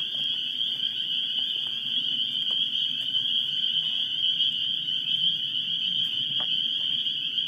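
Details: At Great Swamp NWR on a March 14 evening, unseasonably warm, a dense chorus of spring peepers, probably mixed with wood frogs, gives countless high, shrill peeps merging into one continuous ringing wall of sound.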